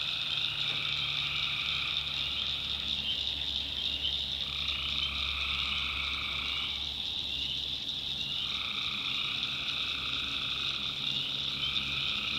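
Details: Night chorus of tree frogs in a North Carolina backwoods swamp. A constant shrill wall of calls is layered with a mid-pitched trill that stops around the middle, then returns, over a soft low rumble.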